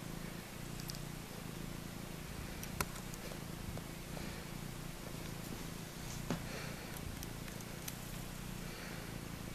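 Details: Maine Coon mix kittens at day four struggling at the milk bar, with a quiet, even low purr running through the whole recording and occasional small knocks and rustling.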